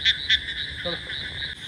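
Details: Frogs call loudly near a resort pool in Taki, West Bengal, on 15 July 2025 as darkness falls, forming a steady, high, buzzing chorus with two louder pulsed bursts at the start.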